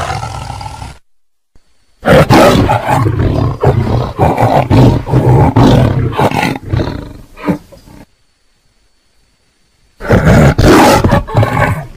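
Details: Tiger roaring in loud, rough bursts that rumble deep with broad noisy energy, broken by two stretches of near silence.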